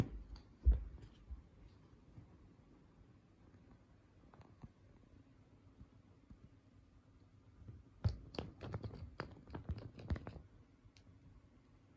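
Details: Quiet indoor room with scattered taps, thumps and rustling clatter of play, no animal voice heard.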